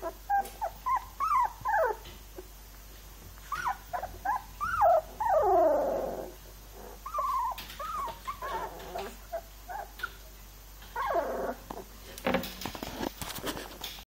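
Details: Labrador Retriever puppies, three weeks old, give a run of short high whimpers and yelps, many bending down in pitch, with a longer squealing cry midway and some shuffling and handling noise near the end.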